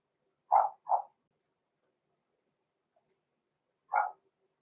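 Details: Puppy barking from six-week-old Cavalier King Charles Spaniels Roman and Blue, blenheim litter born November 14, 2022, in their indoor pen: a quick double bark, a silent gap, then one more sharp yap.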